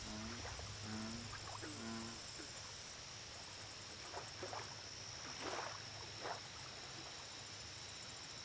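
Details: Low, deep croaks of an American bullfrog at a lake, three short harmonic notes in the first two seconds, then only a background of insect drone, high pulsed chirps and soft rustling.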